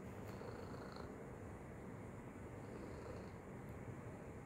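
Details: A short stretch of unbroken low purring from Tacy the cat as she plays with her treat toy; steady rumble with a faint high whine above it, ending abruptly.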